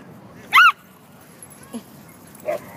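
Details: Havanese barking at two other dogs indoors; one loud, arched, harmonic-rich bark early on, followed by two faint short sounds over quiet room background.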